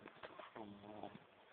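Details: A female French Bulldog, tired and sleeping in the kitchen, snores with a low, steady, buzzing drone after a few soft snuffles.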